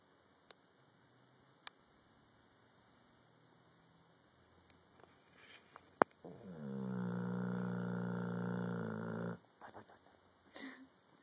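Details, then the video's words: Cane Corso dog sleeping peacefully; near silence with faint soft breaths, then one long, steady, droning snore lasting about three seconds before quiet returns, a woman softly cooing beforehand. "Snoring Mastiff floppy cheeks"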